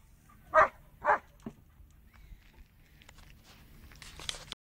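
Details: A German Shepherd that cannot stand a car horn reacts to it with two strong, full-throated barks half a second apart, then softer scattered noises and a brief higher burst near the end.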